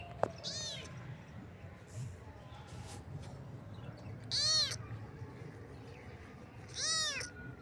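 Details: Kitten meowing, with three high, arched meows with stacked harmonics about every two to three seconds, the last two louder; faint clicks and low background hum between calls.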